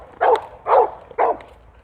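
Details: Dog barking at another dog near the house: three short, loud barks evenly spaced about half a second apart.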